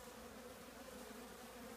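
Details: Honey bee colony living in an old trash can with drainage holes, the can surrounded by small trees; a steady low hum of many bees, even and continuous, with a faint band of buzzing throughout.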